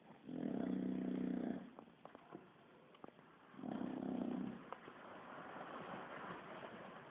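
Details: Sleeping Bulldog named Kiára giving two deep, buzzy snores about three seconds apart, each lasting over a second, with soft breathing noise and faint clicks between them.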